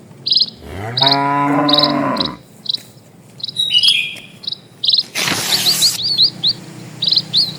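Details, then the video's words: Cattle from a large herd moving slowly along a peaceful village road; one sustained moo early on, then shrill chirping insects, quick bird twitters and a short burst of rustling noise. "SUARA SAPI"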